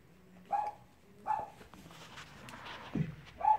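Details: Cavalier King Charles Spaniel puppies playing let out short, thin whimpers, three high whines spaced about a second apart, between them soft rustling and one low grunting sound.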